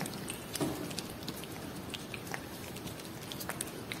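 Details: Cat eating Whiskas salmon food, close wet chewing and biting clicks scattered through, soft smacking in a small indoor room, no vocal calls.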